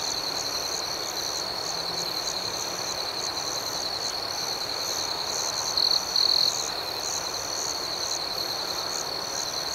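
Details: A nighttime chorus of crickets: an unbroken high-pitched trill with rhythmic higher chirps pulsing roughly two or three per second, one louder burst partway through, over steady background hiss.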